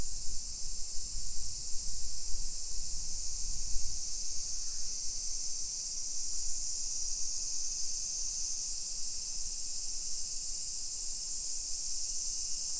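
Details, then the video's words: Summer cicadas singing at 1 PM on 28 July 2021 in a hillside residential neighborhood of Nisshin, suburban Nagoya, Aichi Prefecture, Japan: a steady, bright, high hissing drone that never breaks, over low rumbling footsteps and street noise. "Summer Cicadas Sounds"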